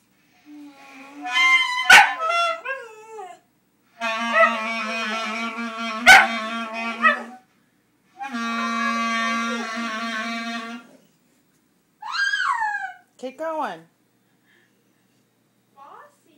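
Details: Pet dog howling along while someone plays the clarinet: sustained wavering clarinet notes overlap drawn-out whining howls and a couple of sharp yips, ending with falling whimpers.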